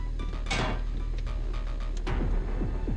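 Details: Music with sliding tones plays over clattering, as of cupboards or doors, with no animal sound heard.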